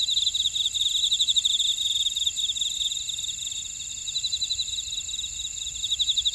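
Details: Buckwheat-field grass insects at Oradong, Jeju, South Korea, chirp in fast pulsed trills over a constant shrill ringing chorus; the pulsing is loud at first, thins out midway, and swells again toward the close.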